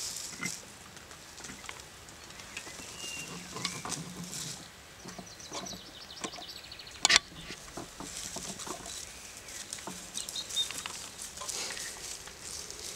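A European badger gives soft, low pig-like grunts and snuffles among crackling rustles.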